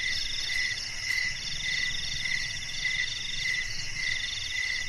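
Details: Night garden crickets keep up a continuous shrill chorus, with short bright chirps repeating roughly every half second over finer rapid trilling, and a soft low background hum underneath.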